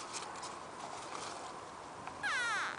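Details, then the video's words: Frog giving a short squeak: a loud, wavering, harmonic-rich squeaky note lasting about half a second near the end, after quiet rustling background noise. "Frog Makes Squeaky Sound"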